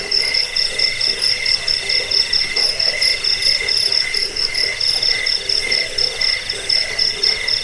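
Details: Jangkrik (cricket) chirping, played to drive away rats, as a sleep aid and for training songbirds; steady high chirps in two bands, pulsing about twice a second, with a dense chorus of insect or frog-like calls behind.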